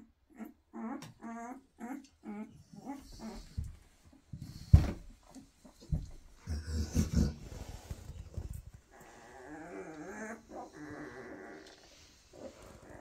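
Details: Weimaraner puppies from a first 2023 litter, kept indoors: a run of short, high, wavering squeaks and whines in quick succession, then rustling and low bumps, ending with a thin drawn-out whine.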